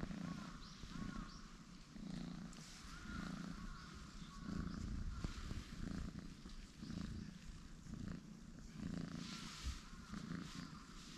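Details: Relaxed orange tabby cat brothers, one pale and one deeper orange, stretching out on a bench; deep purring swells in regular cycles just under a second apart, against soft outdoor ambience.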